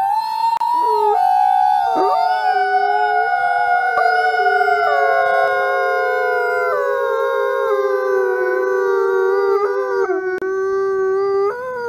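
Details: Gray wolf Alawa, captive-born male at the Wolf Conservation Center in South Salem, NY, howls alongside other wolves; long overlapping drawn-out tones sliding slowly downward in a dense continuous chorus.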